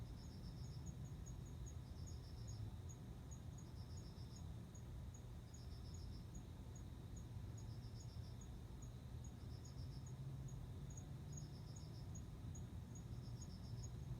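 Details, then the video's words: Male cricket singing to attract a female before mating, with the female responding. Short pulsed chirps repeat roughly every 1.8 seconds, while a second, faster and steady high ticking runs alongside over a low background rumble. "コオロギの交尾 雄の鳴き声に惹かれて雌が応じる瞬間"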